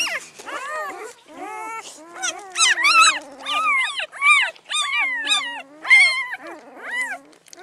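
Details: Spring 2016 newborn Great Pyredane puppies, sired by a Blue Great Dane, make rapid rising-and-falling whimpers and squeaks, several overlapping, over a low steady whine.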